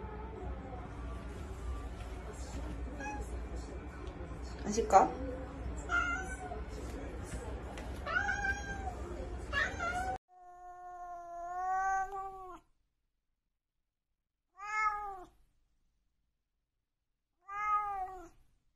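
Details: A grey Korat cat, greeted in the morning, gives a long drawn-out meow and then two shorter meows after a person speaks.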